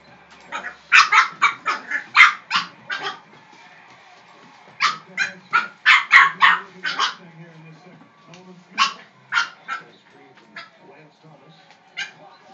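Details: Pet dog barking at a broom indoors, bursts of sharp, high yapping barks in quick runs of several, pausing between bouts, with a person's voice faintly in the background.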